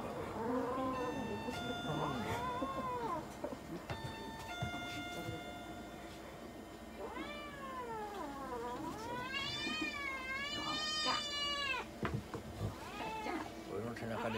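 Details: Munchkin cat yowling through an examination and blood draw at a Nagoya veterinary clinic, Japan. Several wavering, rising-and-falling cries and a long quavering wail midway, along with short steady electronic beeps and handling noise.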